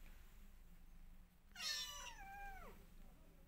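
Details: A mother cat, missing her old home, tries to escape her new house: a single loud drawn-out meow that starts high and slides steadily downward, over a quiet low indoor hum.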